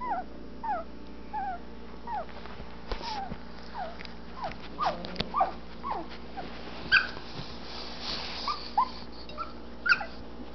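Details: Anatolian Shepherd Dog puppies, twelve days old, eyes just opening, exploring their whelping box; high, thin whimpers and squeaks, each a short falling or rising slur, repeated irregularly by several pups over a steady low hum.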